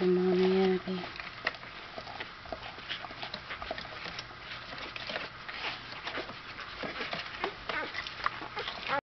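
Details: A litter of nine newborn black Standard Poodle puppies, 8 females and 1 male, with their mother. They squeak and whimper in a thin, high, busy chatter after a brief spoken voice.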